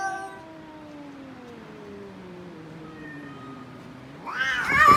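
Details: Domestic cat producing a long low yowl that slowly falls in pitch over several seconds, then ends in a sudden loud harsh cry.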